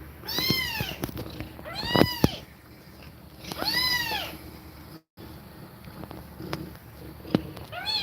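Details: Cat with her kittens during nursing, breathing fast. Three clear, drawn-out arched meows come about two seconds apart, each bright and rising then falling, followed by quieter tapping and a last short mew.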